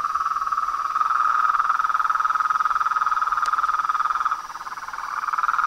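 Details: Massed frog and toad chorus, a steady rattling trill of quick pulses that fades briefly near the end before returning, with a single sharp click midway and a thin high tone throughout.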